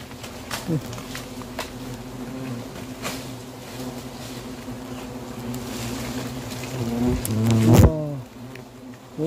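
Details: Hornets around a huge nest hanging in a garden cherry tree at a country house, during removal of the nest; a low droning hum with faint passing buzzes, then a loud sweeping buzz near the end as one flies close, with a voice exclaiming.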